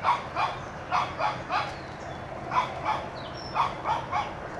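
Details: A one-year-old Shih Tzu puppy named Toby barks while chasing a whitetail deer from his yard, firing quick clusters of two or three high yaps with short pauses, a thin whistly tone briefly audible.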